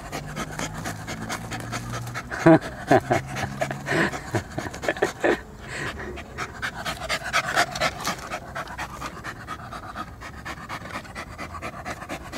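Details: Pet poodle panting during play, breathy rhythmic huffs around two per second with a few louder bursts early on, a person calling and inviting it to fetch a ball, faint music behind.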